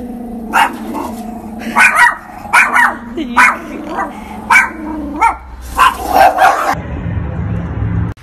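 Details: Pet dog being pranked, barking in a series of short sharp yaps roughly every second, with low growly undertones, then falling quiet near the end.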